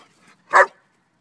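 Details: German Shepherd named Shiva barking once when told to speak while playing with a duck toy; a single short, sharp bark in a quiet room.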